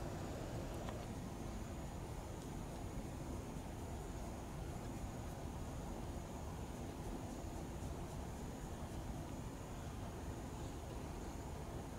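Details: Steady low rumble of a passing train or traffic fills the whole stretch, with a faint high hiss and no animal voice.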